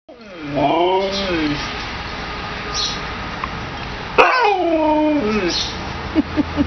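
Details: A Siberian Husky, urged by its owner to 'talk', gives drawn-out, wavering, howl-like talking sounds that bend up and down in pitch.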